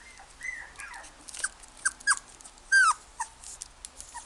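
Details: Toy Poodle in a pet shop giving short high whimpers and whines, some sliding downward, in scattered bursts with a louder drawn-out whine near the end, over a quiet indoor background.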